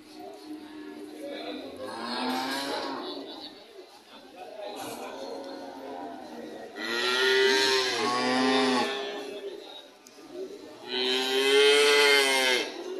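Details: Cattle lowing in several drawn-out, harmonic moos that grow louder toward the end, with quieter moos and some background voices in between.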